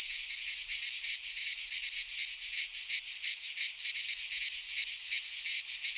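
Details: Cicadas singing in midsummer in a Greek pine forest: a dense, continuous buzzing chorus, high and hissing, pulsing about three times a second with no other sounds.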